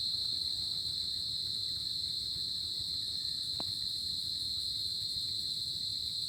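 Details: A cricket on a tropical summer night trills steadily, a high, unbroken ringing tone with a faint overtone above it.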